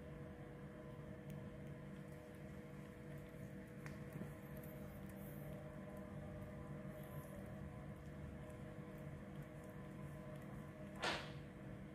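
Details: A low steady indoor hum and faint room noise with one brief sharp scrape near the end, and no animal voice heard.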